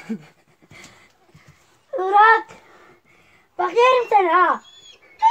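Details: Kangal puppies give two loud bouts of wavy, quavering whines, each about a second long and bending up and down in pitch, separated by quiet pauses, with faint human speech in the background.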